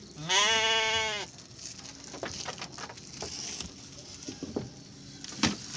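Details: Single loud, quavering bleat lasting nearly a second from a Garut sheep pen during a ewe's delivery of triplets, followed by quiet rustling and scattered clicks and knocks.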